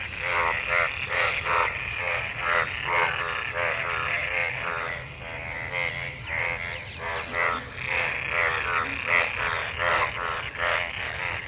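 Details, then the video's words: Mating frogs in monsoon rainwater, many voices at once; rapid, overlapping croaks about two per second with rich harmonics, rising and falling in loudness across the chorus. "Frog Sounds after monsoon rain,Sounds of toad Croak croak ! frog mating and love in rain"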